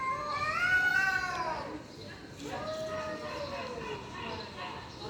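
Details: Fighting stray cats: a loud rising then falling yowl followed by a second long wavering howl, harmonic and whining, over faint background noise.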